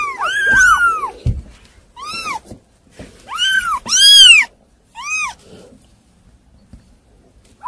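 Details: A handful of piercing kitten meows, some doubled and overlapping, the loudest a strained, drawn-out cry, followed by several seconds of near quiet.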